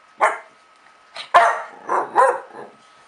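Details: Playful young female dog, 8.5 months old, barking to coax another dog into play: five bursts of sharp barks at uneven intervals, the second loudest.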